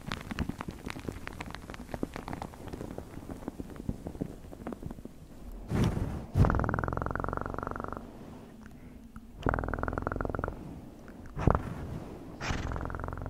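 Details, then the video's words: Cat purring close up in an ASMR recording, with bouts of fast, low, vibrating rumble broken by pauses, preceded by a stretch of crackling and tapping handling noise. "Best PURRING sounds"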